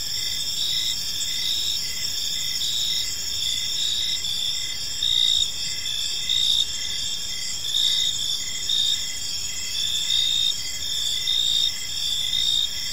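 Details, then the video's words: Park crickets at evening: a steady shrill multi-layered trilling with regular pulsed chirps, and louder bursts swelling every second or so in the latter half, over a quiet low rumble. "Park Serenade: Cricket Sounds in a Peaceful Park | Evening Ambience"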